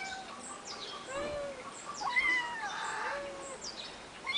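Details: Eight-week-old kittens, one of three on a finca, photographed 11 May 2011, give thin wavering mews. The short calls are spaced about a second apart over faint background chirps.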